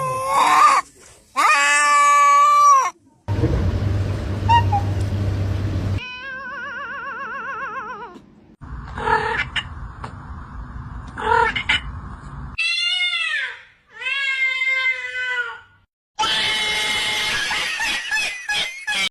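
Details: Cat meows in a chopped series of short segments: clear harmonic meows, one wavering warbled cry, drawn-out calls sliding downward, separated by abrupt cuts, silences and stretches of hissing noise with a low hum.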